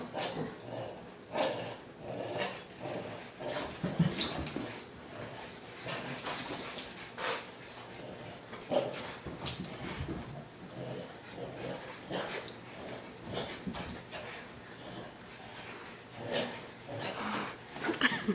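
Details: Boston Terrier playing tug-of-war with a rope, pulling hard without letting go; irregular low growls, snorts and short whimpers over about eighteen seconds, mixed with rustling and bumping of play.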